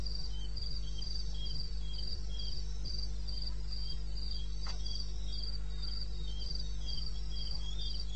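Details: Crickets in the wild of eastern Botswana, 02:30 on 21 May 2016, giving a rapid even series of bright chirps about four each second, one brief click midway, over a persistent low rumble.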